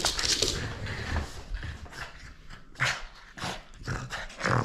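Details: Playful French Bulldog holding on to a toy it won't surrender, giving hoarse, breathy growls and snorts in short bursts, with sharper accents around three seconds and at the very end.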